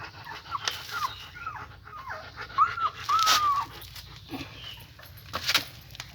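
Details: Several weak German Shepherd puppies lying on top of one another's heads give thin, high whimpers that rise and then fall, a short run of them bunched mid-clip, with soft thumps and a steady background hiss.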